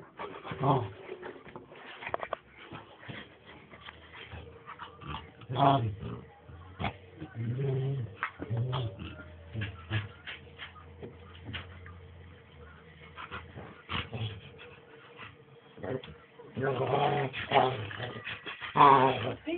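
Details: Two pet dogs, Tyler and Kizzy the puppy, playing together indoors; low rumbling growls and scuffling with soft whimpers, broken by occasional human voices.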